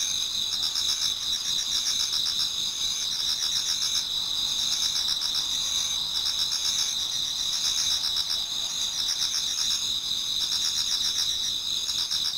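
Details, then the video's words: Numerous insects singing in a Japanese garden on an autumn night toward dawn: constant high, shimmering trills, several steady ringing tones stacked together and fast rhythmic pulses about four per second. "Autumn Insects voice Towards dawn"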